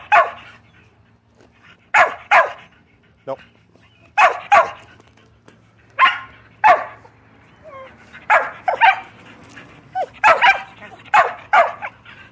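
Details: Several Shetland Sheepdogs, pet Shelties at home, bark insistently and loudly because they want to play ball; short sharp barks come in pairs and bursts with pauses between, some speech faintly in the background.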